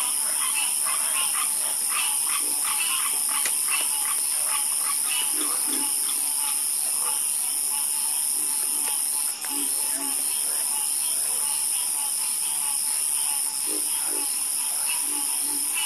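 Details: Many frogs calling at night in a dense overlapping chorus, quick croaks crowding the first half then thinning to scattered low croaks, under a continuous high insect-like hiss.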